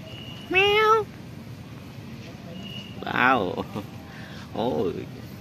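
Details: Black cat that lives in a pagoda replying to a person: one clear, bright meow rising then falling, followed by two lower, wavering meows, with a person's voice in between.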